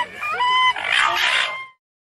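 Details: A Common raccoon dog gives a short tonal whine that rises and then falls, followed by a breathy, noisy growling rasp lasting about a second before the sound stops.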